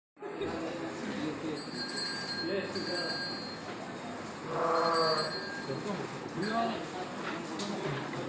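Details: Batur sheep, a breed native to the Batur highlands of Banjarnegara, kept at a farm; wavering bleats rise and fall through the clip, with one louder, stronger bleat near the middle and steady background noise throughout.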